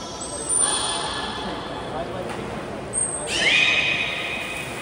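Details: Whole beluga group training at Port of Nagoya Public Aquarium, 16 November 2024; two buzzy harmonic squeals a few seconds apart, each preceded by a thin high steady whistle tone, in a hollow, echoing indoor space.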